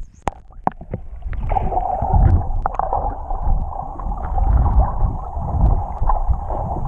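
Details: Whales singing underwater off Tonga, recorded while swimming with them, audio left unaltered: deep rumbling and gurgling with wavering mid-pitched moans and a few sharp clicks early on, over constant water noise.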